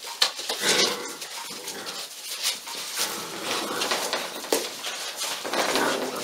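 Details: Litter of Pyrenean mountain dog puppies, 46 days old, at a breeding and genetic reserve centre in Cerdanya, Catalan Pyrenees; overlapping high whines and yelps from several pups, with shuffling and knocking noises throughout.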